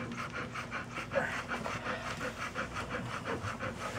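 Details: Puppies panting rapidly, a steady breathy rhythm of short huffs repeating nearly three times per second, with faint background noise.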